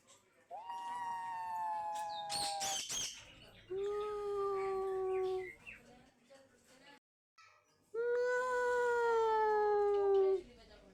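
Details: Three long, drawn-out meows from a cat, each steady and slightly wavering, the first higher-pitched, with a brief rustle between the first two calls.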